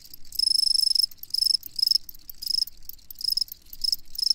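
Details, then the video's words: Chirping crickets, repeated bursts of rapid, shrill pulses lasting about half a second each, several callers overlapping into a rhythmic, high ringing chorus with short gaps between phrases. "Crickets Chirping"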